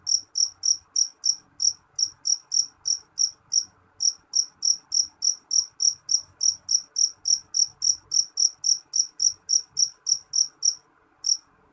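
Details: Loud jeliteng cricket, named by its local Indonesian name jangkrik jeliteng, giving sharp, high, ringing chirps about three to four per second in a steady run, with brief pauses near four and eleven seconds and a faint low background hum.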